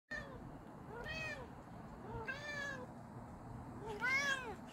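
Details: Domestic cat named JJ calling another cat: three drawn-out meows with rich harmonics, each rising then falling, spaced about 1.5 seconds apart, over a low steady background hum.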